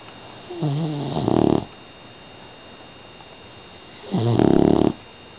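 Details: Five-month-old female pit bull puppy snoring loudly while asleep indoors; two rough, buzzy snore breaths about three seconds apart, each with a wavering low rattle building to a louder harsh burst.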